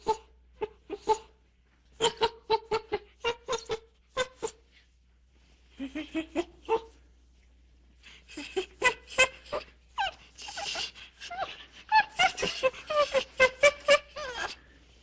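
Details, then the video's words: Monkey uttering rapid sharp chirps and squeaks in irregular bursts, some with rising or falling notes, building to dense noisy chattering near the end, with a faint low hum throughout. "Monkeys sound / Звуки обезьянки"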